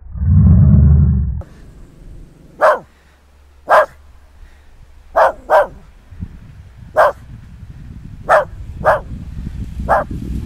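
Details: Nix, a West Highland White Terrier out in the snow, gives sharp barks roughly once a second, sometimes in quick pairs, after a loud low rumble of wind or handling at the start.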